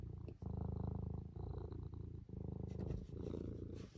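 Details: Eric the cat, tucked up in a loaf position, purrs in a deep, close rumble, pulsing evenly in long breaths with short pauses between them.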